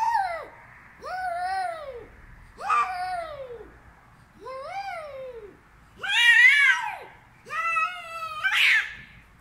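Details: Female cat screaming: six drawn-out, wailing yowls in under ten seconds, each swelling and then sliding down in pitch, spaced about one and a half seconds apart, the last three louder and harsher, with no other clear sounds.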